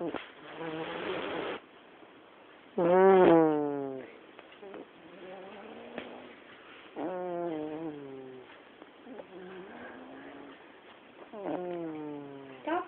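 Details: Snoring black cat in a living room, a regular series of raspy, buzzing breaths roughly every two seconds, some with a sharper rising start, others with a softer hissing exhale, in a quiet room.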